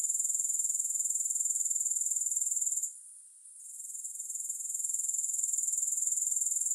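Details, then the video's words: Grasshopper chorus: a continuous, thin, high-pitched pulsing trill that dips and softens for about a second near the middle, then returns at full strength; no other sounds. "3 Hours of Grass Hopper Sounds"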